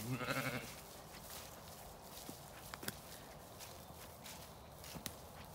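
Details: Lambs let out to play on a sunny day on a regenerative farm in County Kilkenny, Ireland; one short harmonic bleat opens, then soft trampling footsteps and light clicks on the pasture.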